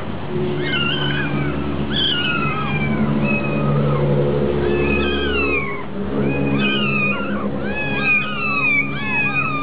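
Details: Hungry kittens at a cat cafe, many short, high meows overlapping in two busy bursts, over low steady droning tones and background hum.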